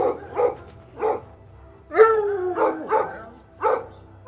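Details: Domestic dog letting out short spaced barks, then a longer falling yelp, then more clipped barks.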